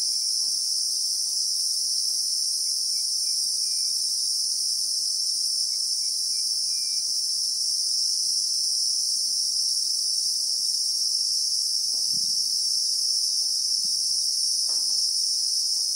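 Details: Christmas beetle (Anoplognathus) in the South African bushveld, recorded in real time: a steady, shrill, unbroken insect drone in several high bands throughout, with faint low ticks and rustles in the background.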